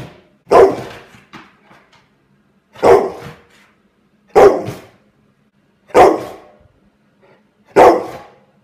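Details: Angry pet dog barking at a fidget spinner indoors: five loud, harsh single barks spaced roughly every one and a half seconds, each followed by softer breathy sounds, with a faint steady hum behind.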